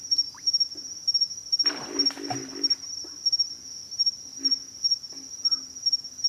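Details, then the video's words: Pig frogs giving a low, rough grunt burst in the middle, with a few fainter single grunts around it, over a steady high-pitched pulsing insect chorus that runs throughout. "pig frogs - sound effect"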